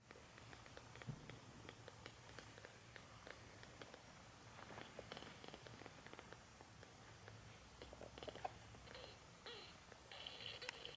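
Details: Tiny kittens purring for the first time give a soft, low, steady rumble beneath frequent clicks and rustles from handling.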